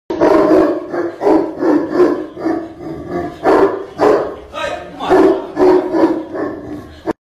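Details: Tibetan Mastiff giving deep, loud, hoarse barks or roars in a rapid series, about two per second, each bark broad and booming, with no other clear sounds.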